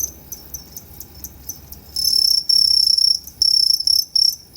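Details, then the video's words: Two-spotted crickets at Tama Zoological Park, Japan, on 29 September 2015, producing two different kinds of calls; soft spaced chirps give way to a loud continuous high trill, then longer chirp bursts. "フタホシコオロギの鳴き声｜Sounds of Futahoshi Cricket"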